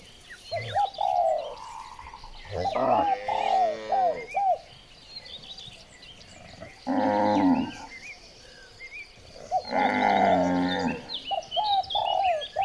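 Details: Cows being herded through village streets in the morning, giving long, deep, drawn-out moos in three separate bursts, with repeated short arched chirping calls between them.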